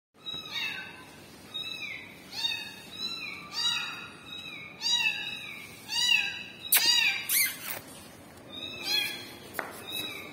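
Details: Kitten crying for its mother cat, giving a steady run of high, arched meows roughly every second, some overlapping, with a few sharp clicks and knocks near the middle.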